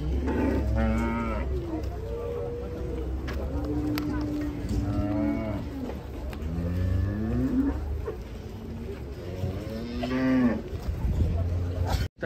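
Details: Many giant cattle being unloaded from a truck, one having turned wild earlier; a series of loud, drawn-out lowing moos, some level and some rising then falling, overlapping from several animals, with background rumble and faint voices.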